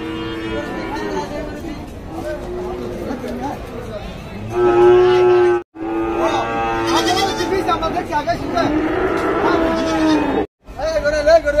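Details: Cattle at Dhaka's biggest weekly cattle market in Bangladesh, 24 September 2022: a loud, steady, low moo of about a second rises out of dense crowd chatter. Men bargain over prices before and after the call.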